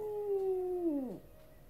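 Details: Howl of a West Highland White Terrier singing after a walk: one steady, sustained tone lasting about a second, then sliding sharply downward as it fades.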